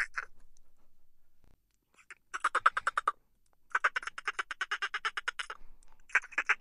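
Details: Laughter-like dolphin chitter heard as fast trains of rasping pulses, a brief burst, a pause, then two longer buzzing click series that speed up and stop abruptly.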